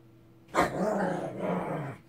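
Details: Shih Tzu Ssong, angry, lets out a single sustained growl that starts with a sharp onset and holds a gravelly, low, slightly wavering tone for about one and a half seconds indoors.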